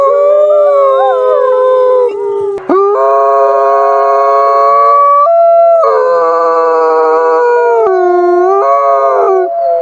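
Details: Night-time wolf howls layered into a dense chorus. Sustained voices hold level pitches, one wavers early on, then a sudden break brings a new set of steady overlapping tones that later slide downward.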